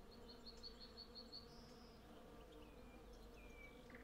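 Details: A constant low hum from hundreds of western honey bees collecting honey in a flowering cherry tree. A bird gives a quick run of repeated high notes early on, then a couple of thin whistles.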